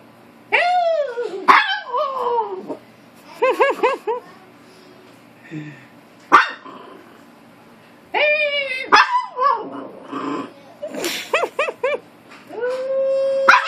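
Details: Maltese dog arguing with another dog at home: bursts of sharp, arched yappy barks and whines in clusters, separated by short pauses, with a person's voice talking in between.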